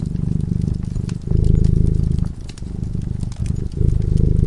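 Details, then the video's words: A cat sleeping peacefully in front of a crackling fireplace purrs steadily in low, rapid pulses, with louder and softer phases swelling and fading about every second, while sharp pops and crackles from the fire sound above. "Purring cat"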